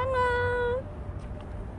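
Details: Last recording of Bolt, a stray cat that lived near a family for a year and five months: a single steady, clear meow lasting under a second and lifting slightly at the end, followed by a quiet background.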